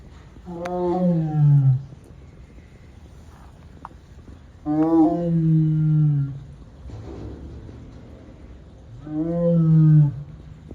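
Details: Amur tiger at Tama Zoo, recorded on 21 December; three long, deep moaning roars roughly every four seconds, each about one to one and a half seconds long, with steady low background rumble between calls.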